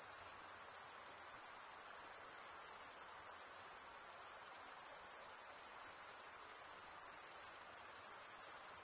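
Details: Crickets chirping in a summer forest at night: an uninterrupted, bright, very high ringing chorus holding at a steady level for the whole stretch, with faint hiss underneath.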